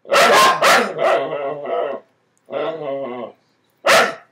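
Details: Dogs under a bed barking at one another, two sharp barks followed by drawn-out tonal growling grumbles, a pause, another grumble, then a final sharp bark.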